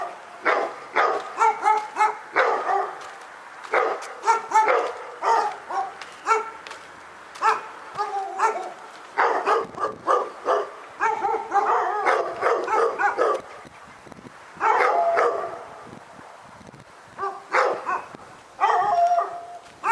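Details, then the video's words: Persistent dog barking recorded at Pyrga, a long stream of clipped, ringing barks fired in dense clusters with only brief gaps, keeping up steadily throughout. "Pyrga Barking Nightmare 18"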